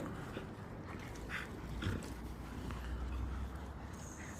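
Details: A dog from a happy, relaxed household pack that includes a shollie gives low grumbling whimpers: a short deep moan near the middle, then another drawn-out low murmur later, over faint rustling and room noise.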